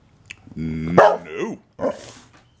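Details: Boxer named Liberty in a dinner-time tantrum, a drawn-out tonal whine that rises into a sharp yelp, falls away in a wavering moan, then ends with a short bark.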